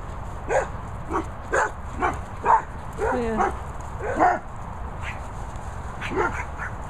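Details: Guard dogs at boarding kennels in the Worcestershire countryside barking: short, sharp barks repeated roughly once a second, some doubled, with a steady high hiss in the background.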